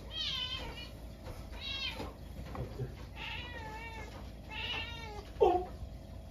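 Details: Munchkin cat indoors at midnight, snowy night, when a stink bug strayed into the house; a run of four drawn-out wavering meows about one second apart, ending with a short sharp yelp, over faint room hum.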